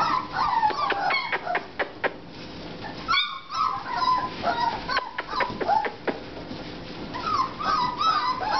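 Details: American Bulldog pups aged four and a half weeks whine and yip in uneven bursts, thin pitch-sliding cries broken by scattered sharp taps and clicks, with a short near-silent gap partway through.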